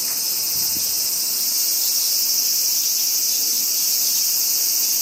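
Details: Summer crickets in Japan fill the air with a steady, high, ringing trill that never pauses, with only a faint soft rustle underneath.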